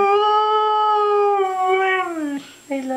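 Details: Siberian husky Mishka, a female pet in a small room, howls back when urged to say "I love you": a long level tone over two seconds, sliding down, a short pause, then a fresh howl starting.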